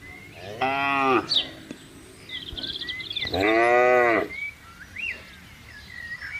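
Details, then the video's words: Two long, rich moos about three seconds apart from a tame cattle herd wandering and grazing in a large plantation. Thin bird whistles drift between the calls. "Gerombolan Sapi Lembu Jinak Berkeliaran di Kebun Luas | Suara Alam Moo Relaksasi"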